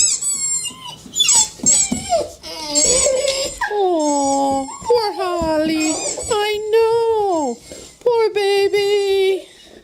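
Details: Pet dog Holly crying indoors, set off by squeaky toy noises that send her running around in panic; long wavering whines that slide downward, with bright high squeaks and a person speaking softly between the cries.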